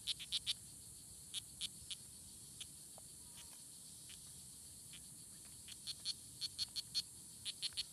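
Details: Oophaga pumilio, the strawberry poison dart frog, fighting at La Selva Biological Station near Sarapiquí, Costa Rica, June 24, 2016: scattered soft high chirps, then a quickening run near the end, under a steady high insect hiss.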